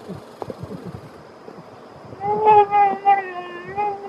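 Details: While feeding, American black bear cubs protect their food from siblings. After two seconds of quiet rustling come a run of wavering, nasal, whining calls with strong overtones that rise and fall, pulsing several times.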